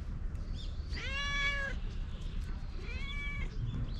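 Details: Stray cat running up for affection, recorded on a GoPro outdoors: two clear, drawn-out meows, the first long and steady, the second shorter with a falling end, over a low rumbling background.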